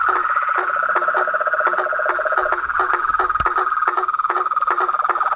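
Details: Many frogs, toads and treefrogs at a house reservoir after nightfall: a rapid, irregular clatter of clicking calls and a lower tonal pulsing layer beneath a steady trilled drone, with one sharp loud crack midway.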